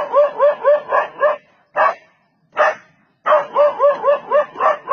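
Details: Dog barks at and chases off a leopard that came to attack: a rapid run of barks, two isolated louder barks with gaps between, then another quick-fire barking series.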